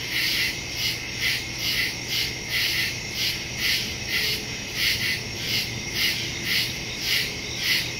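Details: Woodland crickets calling after dark on September 2, 2023, phone and stereo mic recording; high-pitched chirps pulse roughly twice per second in a steady, swelling rhythm over constant insect hiss.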